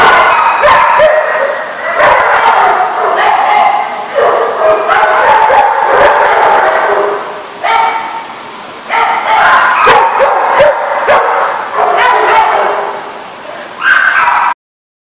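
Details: Multiple dogs barking nearly nonstop, loud overlapping barks in bursts separated by short pauses around four, eight and fourteen seconds, ending abruptly.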